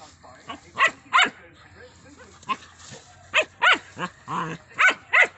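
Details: German Shepherd puppies playing in Assam, India, giving short, sharp yips and barks in quick bursts, about nine across five seconds, some close together in pairs, over faint background murmur.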